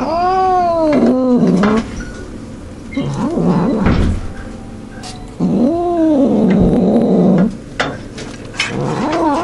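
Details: Domestic cat making weird noises while devouring food and refusing to share: long wavering yowling growls rising and falling in pitch, two drawn-out bouts separated by quieter chewing and rustling.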